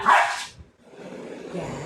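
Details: Pet Labrador Retriever indoors during playtime, giving one short sharp bark at the start, followed by quiet room noise.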